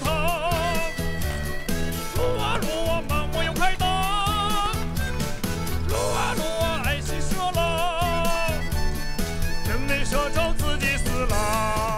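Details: Loud pop song with sung vocals over a steady beat, no animal sounds.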